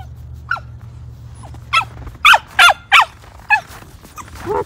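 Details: Yuriko, a female Siberian Samoyed, out on her daily morning walk in a snowy park near home, wearing a body harness and leash. She gives short sharp yips and barks, with three loud ones in quick succession and softer ones around them.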